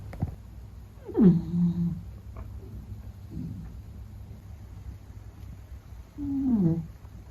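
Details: Meta the Beagle asleep, snoring: two low, droning, buzzy snores about five seconds apart, each briefly rising then settling into a steady hum, with quiet room hush between.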